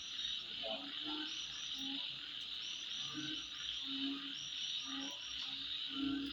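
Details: Insects at midnight keep up an unbroken high-pitched whine, topped by brief repeated chirps, while low croaking notes sound irregularly underneath.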